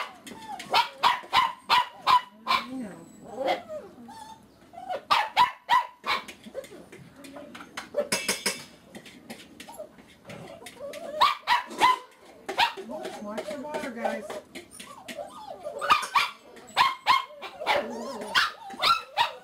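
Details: Litter of puppies aged seven weeks, filmed one afternoon. Dense, irregular high yips and short barks repeat rapidly throughout, mixed with small whimpers. A person calls encouragement over the puppy noise.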